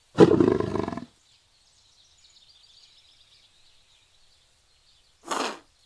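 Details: Leopard calling: a rough, rasping, growled burst lasting about a second, then near silence with faint high hiss, and a second shorter rasp about four seconds later.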